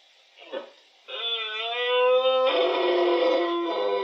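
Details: Rutting red deer, a twelve-point stag at the height of the berrea in October 2023, Refugio de Fauna Chico Mendes, Iberia; a brief soft grunt is followed by a long, loud, rasping roar that swells and holds steady for three seconds.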